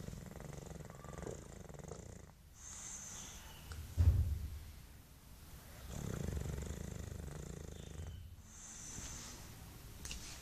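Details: English Bulldog named Mike asleep, snoring and sucking his tongue; low rasping snores swell and fade in slow breath cycles about every four seconds, with one louder snort near the middle and brief high hisses between breaths.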